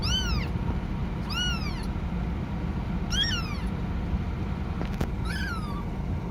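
A kitten gives high, thin, arching meows, repeated every second or two, calling for its mother.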